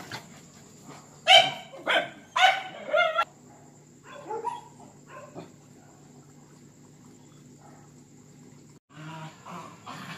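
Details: Confined dogs during mating season, described as jealous and sad: a burst of four loud harsh barks in quick succession, then softer whines and yelps, a pause, and a final muffled bark or whimper.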